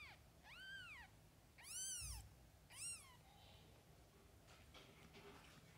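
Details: Domestic cat, a mother with kittens, giving three loud arched meows, the second strongest and slightly strained, followed by faint soft mews and quiet rustling against low background hum.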